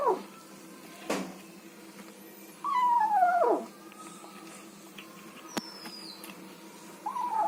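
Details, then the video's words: Kitten eating food and making odd vocal noises indoors: a drawn-out whine that slides downward and lasts about a second, a short rising squeak near the end, and scattered sharp clicks and taps between calls. "Kitten Eats Food Making Weird Noises"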